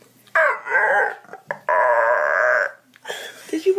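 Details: Dog making funny, weird noises: wavering, voice-like moaning calls in two drawn-out bursts, the second held steady for about a second, followed by shorter broken sounds.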